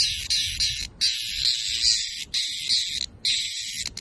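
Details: Cicada screaming in long, harsh, high buzzing bursts separated by brief pauses, the shrill drone pulsing throughout.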